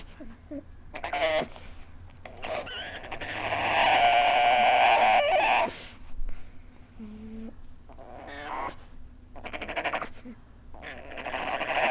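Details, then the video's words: Pug weeping: a thin, high whine held for about a second, then a short falling whimper with clear harmonics, set among bursts of snuffling, breathy noise. "Adorable Pug weeping"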